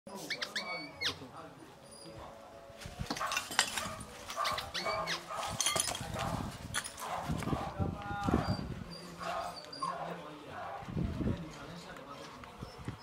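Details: Rottweilers in Ghana growl and snarl in rough bursts as they fight over a toy, with people talking.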